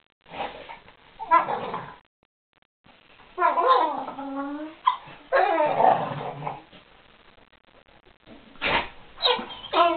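Two Weimaraners vocalize while playing, mixing sharp barks and yelps with drawn-out, wavering growl-moans in bursts. Quiet gaps fall between the exchanges, and a person speaks briefly near the end.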